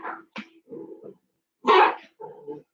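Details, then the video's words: Indoor barking from pet dogs, set off by a 14-year-old female dachshund in heat and an unfixed two-year-old male. One loud, sharp bark sounds midway, amid a woman's speech in a small room. "my fourteen-year-old dachshund went into heat that's what you're hearing"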